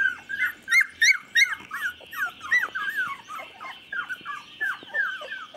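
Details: Three-week-old chocolate Labrador pups (24 days), 8 November 2014, giving clear repeated squeaky yelps and whines about three per second, each a short rising-falling note, with a faint steady high hum underneath.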